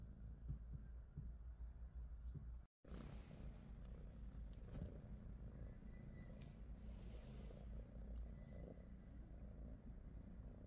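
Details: British Shorthair cat purring in the morning at home, one of Pikachu, Teddy and Rosie: continuous deep rumble with a momentary break early on, then faint rustling over the low purr.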